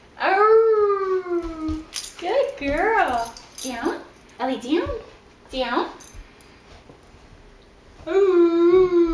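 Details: A female Great Dane talks, moans and sings along with her owner, giving long, drawn-out moaning howls, steady and slightly falling, with a person's voice between them.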